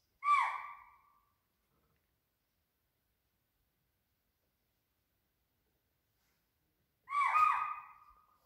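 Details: Near a water body in Pench, a deer (spotted deer or swamp deer) gives two loud, sharp calls about seven seconds apart, with silence between; a tiger was probably nearby downstream.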